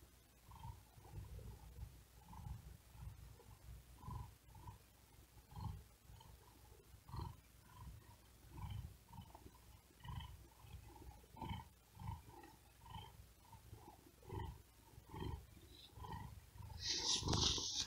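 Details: Tired cat lying on a wooden desk on a very hot day, too hot to sleep, breathing hard and fast while purring: soft low rumbling pulses repeat steadily, roughly three or four a second, with a brief hiss near the end.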